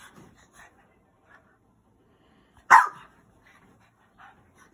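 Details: Max, a 5–6 month old rescued French Bulldog puppy, gives a single abrupt, rough bark protesting bedtime while staying up destroying his bed; soft grumbles and snuffles come before and after in a quiet room.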